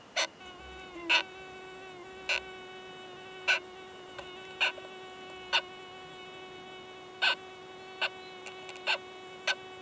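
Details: Oomadarakokunusuto beetles, a male and a female, mating in a high-mountain pine forest; the male gives loud, sharp clicking knocks at uneven intervals over a continuous low humming drone.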